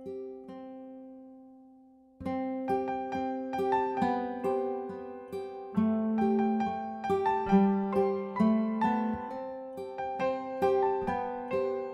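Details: A gentle plucked piano-like melody enters after two seconds of a fading held note and repeats bright notes with no animal sound.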